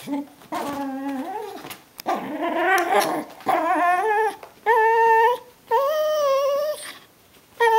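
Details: Indoor Brittany Spaniel welcoming its owner home at the door: a run of drawn-out, tonal whines, some wobbling and some steady, roughly one each second, with short quiet gaps between the later cries.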